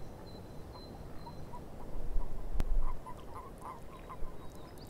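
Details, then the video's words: Swamp frogs croak in brief, irregular bursts that bunch up in the second half. A sharp click cuts through midway, a faint high bird whistle sounds early, and a steady low background murmur runs throughout. "Frogs In The Swamp - Relaxing Nature Sounds"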